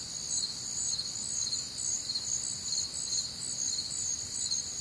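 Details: Crickets on a warm, humid Midwestern summer night, many calling together in steady high-pitched pulsed chirps stacked in several shrill bands, a dense shimmering chorus with a faint low rumble beneath.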